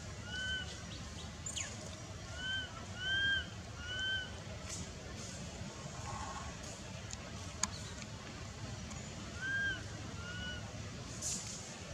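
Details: Sami, a monkey, cries out calling its mother for help while held by Bonita, described as a kidnapper; thin, arched wailing cries come in short clusters separated by pauses, over a steady low rumbling background.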